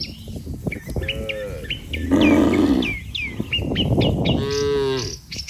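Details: Migrating cattle herd fording a river to reach fresh grass: a deep, sustained moo in the middle followed by a rising, harmonic lowing call, over a busy chorus of short bird chirps.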